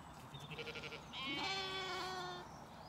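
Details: Zwartbles lambs and ewes on a regenerative farm in County Kilkenny, Ireland, finishing their breakfast on a misty spring morning: a short faint stuttering call, then one long, loud, wavering bleat of about a second.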